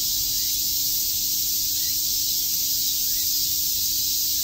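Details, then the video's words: Cicadas chirping on a summer day at Shakujii Park in Tokyo, a dense, steady hissing drone filling the high range without pause, no other clear sounds. "Cicada chirps"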